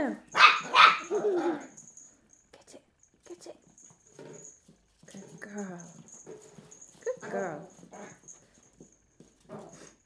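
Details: A three-month-old female Cairn Terrier pup gives a quick run of sharp, high barks while tackling an empty bottle, followed by a person talking encouragingly.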